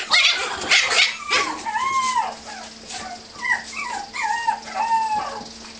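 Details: Playful puppies romping together: a noisy scuffle at the start, then a series of short whining yips that rise and fall, about one every half second, with a steady low hum beneath.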